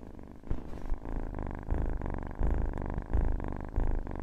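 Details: Cat purring loudly in close, rhythmic bursts, each rumbling pulse swelling and fading roughly every two-thirds of a second as the animal breathes in and out.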